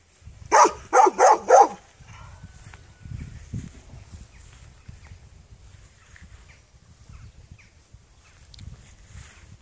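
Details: Four rapid, evenly spaced barks from a dog right at the start, then a long quiet stretch with faint low background noise.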